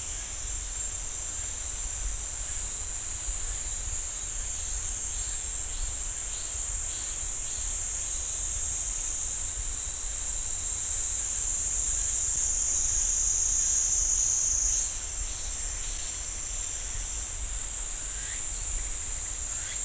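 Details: Cicadas singing in a pine forest at Ssanggyesa temple, Jirisan National Park: a dense, steady high buzzing drone that shifts pitch slightly midway, with faint pulsed calls repeating beneath it and a low rumble throughout.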